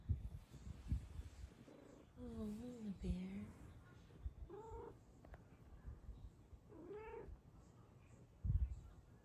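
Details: A happy female Snow Lynx Bengal cat lying on top of her sleeping owner gives several wavering, drawn-out meows and purrs, with a person speaking softly.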